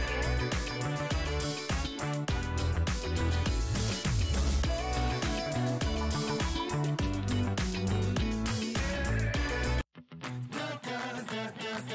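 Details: Upbeat pop music with guitar and a driving beat plays throughout, cutting out briefly near the tenth second before resuming more softly, with no animal heard.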